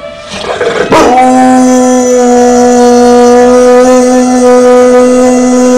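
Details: Sustained howling from Beba, a 12-month-old Dogue de Bordeaux, set off by tornado sirens; after a brief rough onset the voice settles into one long, even, harmonic tone that carries on to the end.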